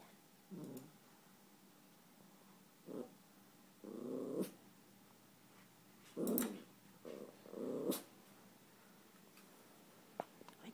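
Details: Eleven-month-old Yorkshire Terrier named Chewy growling indoors at his own reflection: several short low rumbling bursts, each under a second, separated by quiet pauses, with faint clicks between.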